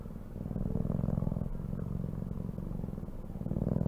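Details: Close, steady cat purr: a dense, low pulsing rumble that grows louder toward the end.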